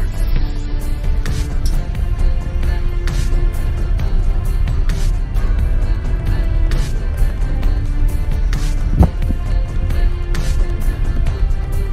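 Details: Loud music with a heavy low rumble like a passing engine fills the whole stretch, and no animal voice is heard.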